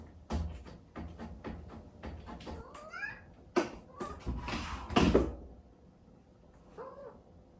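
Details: Chatoran, an Exotic Shorthair kitten born 15 April 2019, calls early in the morning from a separate room while wanting to see its sleeping owner. Two rising, whiny meows are heard among repeated thumps and door or scratching bangs.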